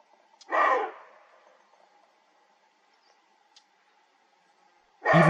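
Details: Roe deer stag in the Dzhungarian Alatau mountains keeps barking after antler rattling stops, proclaiming his territory to rivals during the autumn rut. Two gruff, raspy barks about four and a half seconds apart, the second cut off.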